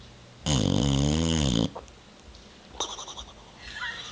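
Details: A sleeping Boxer named Bubba, recorded on a Sunday evening west of the Rockies, lets out a single deep snore of just over a second, followed by softer snorts and breaths.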